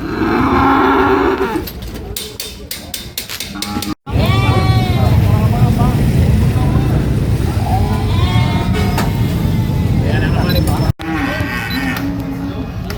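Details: Goat screaming in loud, wavering, quavering cries that rise and fall in pitch over several seconds, following a short harsh opening cry, with a low rumbling background and some speech-like noise.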